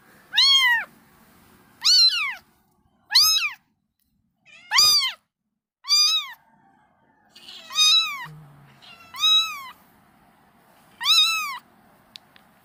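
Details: Mother cat cleaning her kittens, repeating clear drawn-out meows that bend up and down, eight calls spread over about twelve seconds at uneven one- to two-second intervals in a quiet indoor setting.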